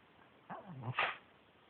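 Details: Yuyu, a male Pekingese adopted from a shelter, gives a short low grumbling vocalization that bends up and down, ending in a sharper, louder breathy burst.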